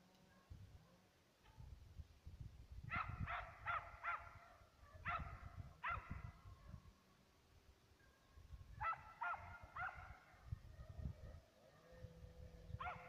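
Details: ['Two Serbian hounds working a trail of fox and roe deer. Distant bays come in rapid bursts of four or five ringing notes, separated by quiet gaps. A steady low rumble of wind or movement runs throughout.']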